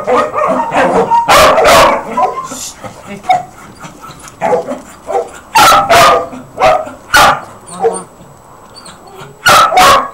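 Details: Four puppies giving loud, overlapping barks in irregular bursts, with higher yips between the louder volleys and a voice briefly audible underneath.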